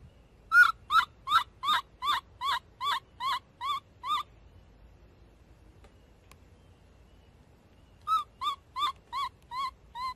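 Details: Loud repeated screaming from baby monkey Abee: about ten piercing, wavering cries in a steady run, silence for several seconds, then another burst of seven cries, each slightly falling at the end.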